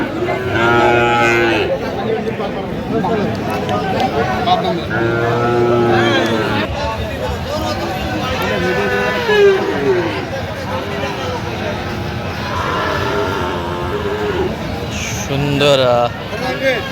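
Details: Friesian and crossbred bull calves bought by a farmer in Madaripur, Bangladesh, 21 October: two moderate moos near the start, then scattered faint calls under people talking and crowd bustle.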